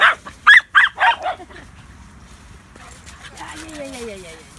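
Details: Baxter and Leo, a pair of Border Terriers, let out a rapid run of four or five loud yappy barks, then stop, leaving faint rustling and a low gliding tone.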